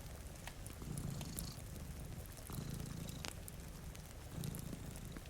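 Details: Domestic cat purring while sleeping beside a rainy window, one of two cats; a low rumbling purr swells roughly every two seconds under steady rain hiss and sharp crackles from a fireplace.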